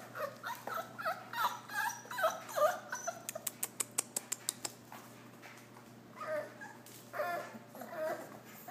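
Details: Puppies indoors giving short, high whimpers and squeals in a quick irregular series, with a run of sharp clicking taps in the middle and more whimpers toward the end.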